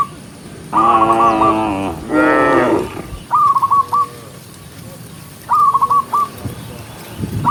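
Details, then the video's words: Tame cows herded through rain along a green forest road; two strong, wavering moos in quick succession, followed by quieter stretches holding short, rapid trills of high whistled notes. "cow sound cow Moo"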